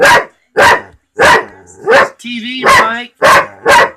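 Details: Pet dog barking at a talking cat, a string of sharp barks about every half second, interrupted midway by a higher, wavering voice-like sound.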